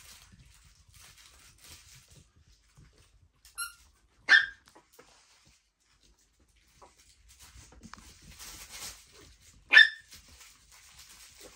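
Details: Mini Chihuahua puppies, chocolate and black, born 12 April, with their family; two sharp, high yelps about five seconds apart, a faint short squeak before them, and soft rustling between.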